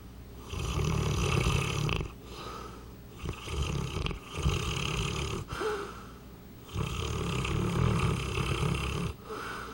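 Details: A sleeping 200-pound Saint Bernard snores loudly, each long rasping inhale a rough low rumble lasting one to two seconds, separated by brief quieter exhales, in a steady cycle repeating roughly every two to three seconds.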